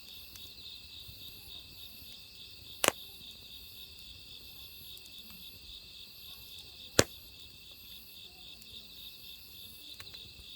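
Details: Autumn crickets keep up a constant high, rapidly pulsed trill next to a wood fire; two sharp crackles from the burning logs stand out, with faint softer ticks between them.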